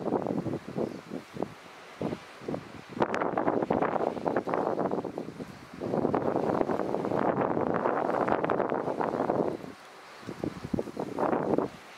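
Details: Gusts of wind buffet the microphone in surges alongside a low vehicle rumble in Kruger National Park, South Africa, with no lion calls among the bursts of noise.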